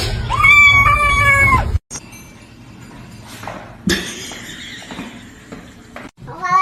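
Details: A house cat lets out a long, wavering meow for nearly two seconds over a low hum. Quieter voices and rustling follow, and a brief rising cry comes at the very end.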